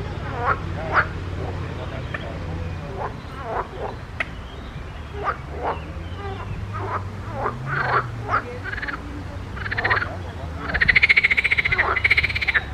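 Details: Several frogs croaking in a pond, giving short, rasping croaks repeated irregularly, some overlapping, with a faster, buzzy trilled series in the last two seconds; a low steady rumble runs underneath.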